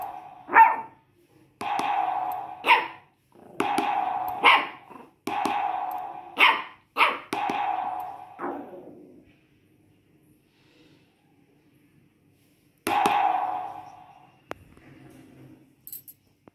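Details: A Shih Tzu puppy sings with a drum beat. Quick, bright yelps alternate with resonant drum hits for about nine seconds. A near-silent gap follows, then one last drum strike and faint soft sounds.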